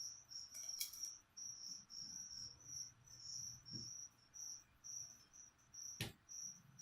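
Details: Crickets kept as live feeder insects for a pet leopard gecko, chirping indoors: shrill, high chirps in steady bursts about twice a second, with faint low room hum and a few soft clicks.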